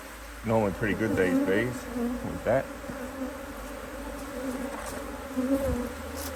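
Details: Honey bees on an Australian-designed HiveIQ hive, opened to add a box of empty frames in mid-Autumn 2023 in Australia, during fine weather with the colony working strongly; a steady low droning hum runs throughout, with a brief human voice in the first two seconds.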